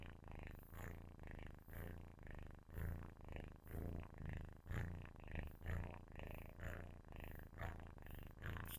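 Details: Loud purring from a sleeping kitten close to the mic, a low buzzing rumble that rises and falls with each breath, roughly once a second, with slightly brighter bursts at some peaks.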